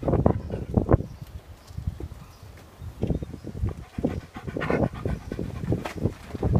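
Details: Labrador Retriever breathing hard in rapid, rhythmic huffing pants, low and breathy, with brief pauses between bursts.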